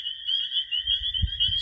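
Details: A dense May night chorus of male spring peepers (Pseudacris crucifer) in a marshy area, high piercing peeps blending into a steady shrill ringing, an advertisement call to hold territory and attract females for mating.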